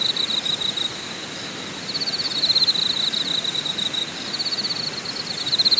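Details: At a campsite in Korea's Deogyusan National Park, a bright continuous insect trill holds one high pitch and rises and falls in loudness every second or two, with a faint pulsing shimmer higher up and a steady background rush.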